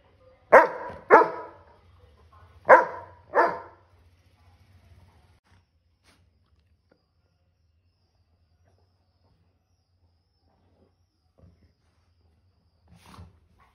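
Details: A male Golden Retriever in Bangalore, playful in the morning as he wakes the household one by one, gives four deep, loud barks in two quick pairs, then falls quiet.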